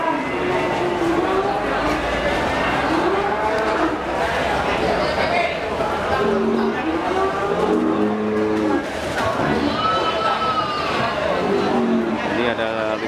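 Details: Cattle at the Kliwon cattle market in Kudus, Central Java, Indonesia, where slaughter-ready Simmental, Limousin and Brangus animals are sold; several drawn-out, wavering moos rise and fall through steady crowd chatter, vehicle noise and background music.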